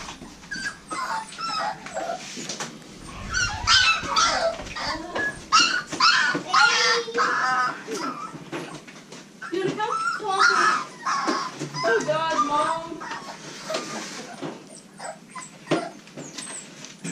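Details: Litter of American Bully puppies, five females and one male, squeaking and whimpering almost continuously in overlapping high, wavering whines, with a person talking at times.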